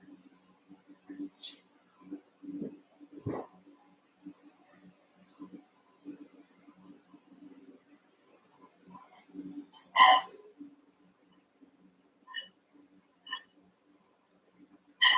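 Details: Cavalier King Charles Spaniel puppies, eight young littermates wrestling and playing together in an indoor pen; soft scuffling and faint squeaks, then several sharp high yips standing out over a steady low hum.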